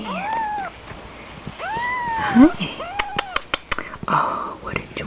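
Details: Kittens mewing in high, arching calls at about three cries in the first four seconds, mixed with a woman's soft, coaxing speech and small handling clicks.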